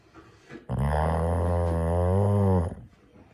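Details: Sleeping female dog snoring with a low, drawn-out droning rumble lasting about two seconds, steady and harmonic, sounding like a cow's moo, indoors.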